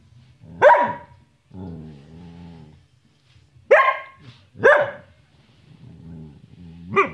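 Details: Bonnie the Samoyed talking and playing: four sharp, abrupt barks spaced a second or more apart, with low, drawn-out grumbling moans between them, like a dog asking someone to play.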